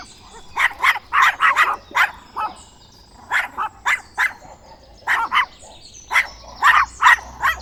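A dog barks in quick, sharp bursts, pausing briefly between runs of barks.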